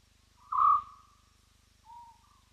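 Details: A spotted hyena at Roy's Dam, recorded by a live-stream wildlife camera in Africa, gives clear, hollow whoops, one drawn-out and level, the next shorter and rising.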